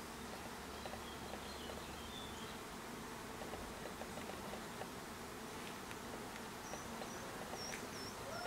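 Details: Even drone of bees around a hive, a low sustained hum, while short high chirps from a bird sound near the end.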